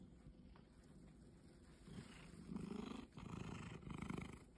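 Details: A house cat that has forgotten its wild nature purrs in a deep, buzzing rumble. The throbs grow louder after two seconds, pause briefly, then resume with a regular in-and-out beat.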